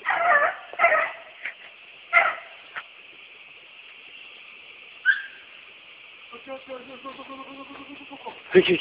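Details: Purebred American Beagle hunting dog baying while chasing wild boar; several loud harmonic bays in the first three seconds, a lone rising yelp near five seconds, then a run of fainter, evenly repeated yelping bays before a final loud bay.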